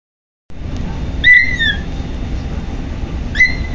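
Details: Kitten Patches on his first day with a new family, making an odd noise while eating: two high, thin whistled squeaks, each level then gliding slightly down, about two seconds apart, over a steady low background rumble.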